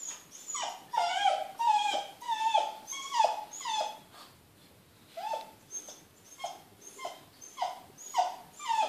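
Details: Smooth Fox Terrier whining indoors because it hears children playing outside and wants to join them. It gives about thirteen high, downward-sliding whimpers in quick bursts, pausing briefly midway before resuming.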